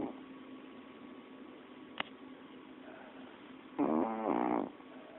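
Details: Molly, a pet cocker spaniel, asleep and snoring after a long day: one raspy, harmonic snore lasting about a second near the end, an earlier sharp click, and steady low room hiss throughout.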